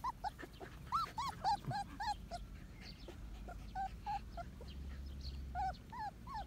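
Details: Month-old Medium Poodle pups cry in a busy litter chorus of short arched squeaks and whines, several callers overlapping at a quick, uneven pace, with a low hum beneath.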